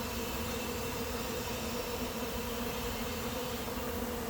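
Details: Late-season honey bee swarm moving into an empty, unprepared hive; a steady, dense hum of many bees with a low drone band and a faint higher whine holding level throughout, with no other clear sounds.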